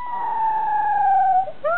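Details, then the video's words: Maltese dog 'talking', said to voice 'Dau Dau': one long, smooth, tonal whine-howl holding a steady pitch and sliding slowly downward for about one and a half seconds, then a brief pause and a short rising note at the end. "Maltese - " Dau Dau " Cute Dog Talking"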